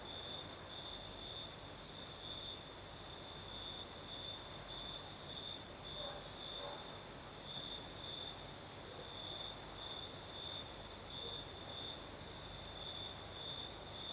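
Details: Crickets chirring at night in southern Crimea with a night breeze: a sustained high trill with regular brighter pulses across the whole stretch and a faint background hiss.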